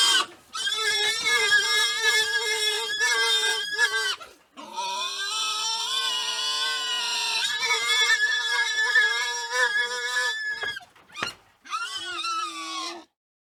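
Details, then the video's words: Group of wild boars in the wild, giving sustained, shrill, strongly tonal squeals lasting several seconds each, with slight pitch wobbles, a short break, then a final shorter squeal. "Wild Boar Sound & Call"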